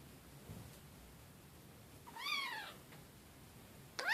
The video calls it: Kitten meowing so cute